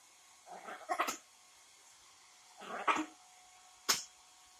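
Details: A female Yorkshire Terrier fights a hair dryer after her bath, giving a few sharp, yappy barks and grumbling yelps in short bursts.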